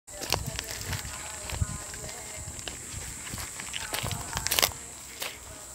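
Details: Cicadas in bushes of the Panchkula forests on 9 April 2021 give a steady, high-pitched buzz that holds unbroken throughout, with footsteps crunching nearby.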